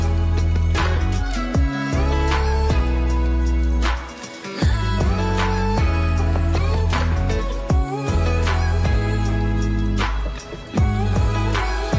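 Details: Soft, tender pop-soul music with sung melody and sustained chords plays throughout, with no animal sound heard.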